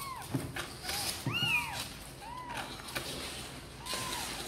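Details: Kittens of the cats Sor and Kapov mewing as they want to come out and play: about five short arched meows, some with a rising-falling squeak, spaced across a few seconds, with soft knocks and rustling between them.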